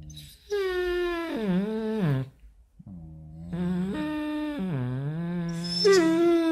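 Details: Basset Hound in a morning "conversation": drawn-out, tonal moaning howls in two long phrases. Each phrase wavers, dips, then rises, with a short silent gap between them and a higher, brighter note at the end.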